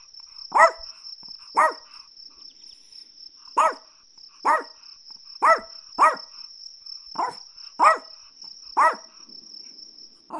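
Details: Chihuahua barking: sharp, high yaps repeated roughly once a second, about ten in all, with a steady high-pitched electronic-like hum running underneath.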